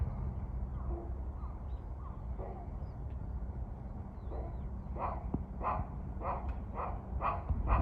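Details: Squirrel at a shrine in Kawazu, Shizuoka, Japan, threatening birds: a run of short, harsh, clipped calls repeated roughly every half second, growing stronger toward the end, over steady low rumbling background noise.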